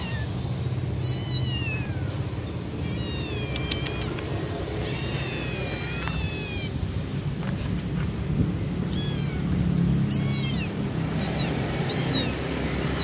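A kitten cries for its mother with shrill, quickly repeated mews that rise and drop in pitch, sometimes overlapping. A steady low rumble runs underneath throughout.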